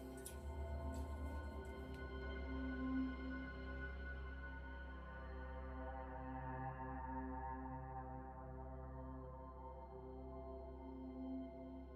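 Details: Only soft, sustained ambient music with steady humming tones is heard, with no animal voice. A faint rattling noise opens the passage before the drone settles.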